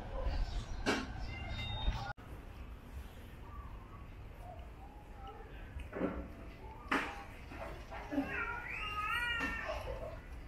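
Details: Domestic cat with oily ears, kept in open space next to a busy road, meowing during ear cleaning; several short rising-falling meows, mostly near the end, over handling noise and people talking.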